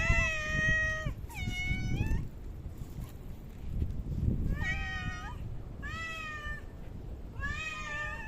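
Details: Cats in a park checked on 3 August 2023 once Typhoon No. 6 had passed; five loud, rich meows, several rising at the end, given in quick succession with short gaps, over low outdoor rumble.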